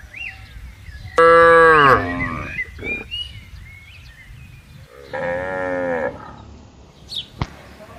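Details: Tame cattle from a herd roaming freely, walking and grazing in a large garden: one loud harmonic moo lasting under a second with a sagging end, then a second, softer drawn-out moo; faint bird chirps in between.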